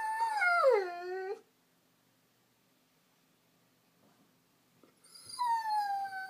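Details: Female Vizsla crying for attention out of loneliness: a loud wavering whine that slides downward and breaks off, a quiet pause, then another long level whimpering cry.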